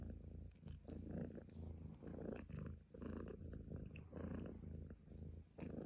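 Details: Close purring from a domestic cat: a soft, deep, rattling hum that swells on each breath, roughly one cycle per second, with nothing else heard.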